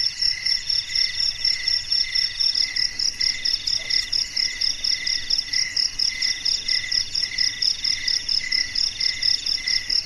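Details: In a garden after dark, crickets chirp in a loud rhythmic chorus: bright pulses about twice a second layered with a rapid high trill, the beat rising and falling evenly throughout.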